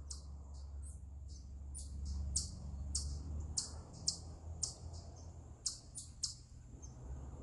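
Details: Eastern chipmunk vocalizing on a rock, giving a stress call as a loose, uneven series of high, clicky chips with irregular gaps, against a steady low hum.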